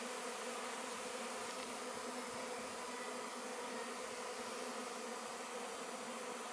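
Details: Honey bee swarm settling into a box before transfer to a new hive, May 2013: a continuous, even droning hum of many bees with no other clear sounds.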